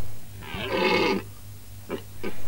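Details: Red deer stag in Romania during the autumn-equinox rut, seeking hinds and roaring to assert supremacy over rivals; one harsh, richly harmonic roar of nearly a second, followed by male narration in Romanian over a steady low hum.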